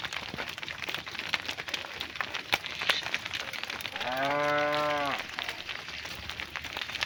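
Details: A cow calls to its herd during the afternoon drive home to the barn. It gives a single steady, drawn-out moo lasting about a second, rich and nasal, rising slightly then falling, against a background of dense crackling and rustling.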